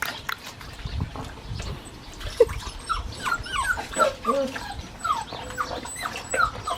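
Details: Several seven-week-old Australian Shepherd puppies whine and yip in short, thin, high squeaks scattered over a rustling, noisy background.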